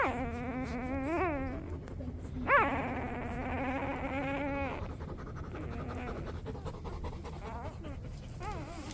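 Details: From a litter of twelve Golden Retriever puppies born 4/25/23 to mother Rosie, one newborn wails in long, quavering whimpers with a sharp upward yelp, and fainter squeaks trail off toward the end.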